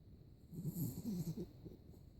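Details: A Yorkshire Terrier named Teddy snores while sleeping with eyes open and tongue out: a low, rough, rumbling breath with a few soft pulses, steady and close in a quiet room.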